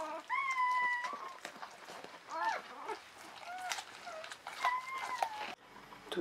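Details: Newborn Czechoslovakian Wolfdog puppies, a litter of five females born 21 November 2020 to Orizon and Rahan, in a whelping box at a breeding kennel. High, thin, drawn-out whines that fall slightly, several in a row, with chewing and rustling close by.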